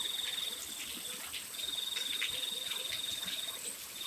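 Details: Rain falling at night while crickets keep up long, high-pitched trills broken by short gaps. Occasional faint higher chirps sound over the steady patter.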